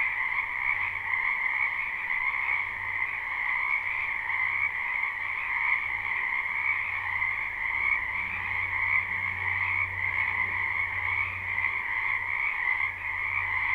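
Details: Spring wetland frogs in a live unlooped recording: a thick, even chorus of overlapping croaking trills, over a low steady hum underneath.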